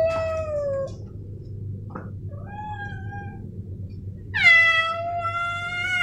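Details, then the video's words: Two male house cats, Snowy and Milo, meow in turn: a short falling meow, a faint brief call, a soft mid meow, then a loud sudden rising meow held to the end, with steady low hum behind. "Suara Kucing Jantan"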